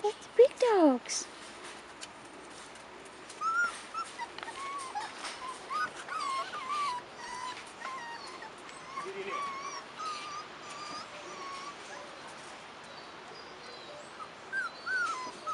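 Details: Several 4.5-week-old Rottweiler pups on their first outing outdoors whine steadily. Faint, high, wavering whimpers overlap and repeat roughly twice a second. A louder sliding cry comes near the start.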